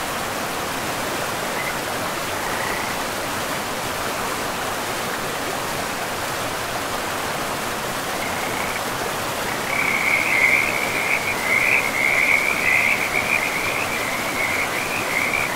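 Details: Frogs by a river deep in a pristine, moss-covered forest. Only a faint trill at first, then from about ten seconds a loud, shimmering high chorus of rapid pulsed calls rises above the constant hiss of running water.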